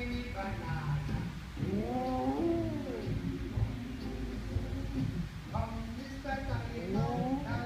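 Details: Pet dog singing along to the Banana Boat Song: wavering, arched howls with stacked harmonics around two seconds and again near six to seven seconds, over the song's music and some voices.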